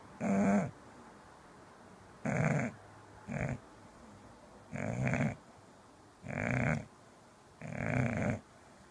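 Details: English bulldog asleep indoors, snoring loudly: six rough, low snorts spaced roughly one to two seconds apart, each a short rasping burst, with quiet room between them.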